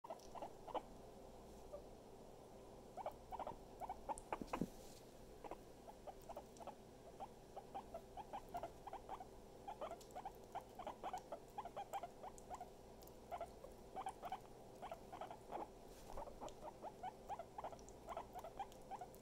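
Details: Pet guinea pig happily nibbling its owner: faint, rapid, uneven little squeaks and ticks running throughout, over a steady electrical hum.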